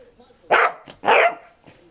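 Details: Basset Hound barking: two loud, hoarse, broad barks about half a second apart, the second slightly longer, with a faint low rumble before and a soft sound at the end.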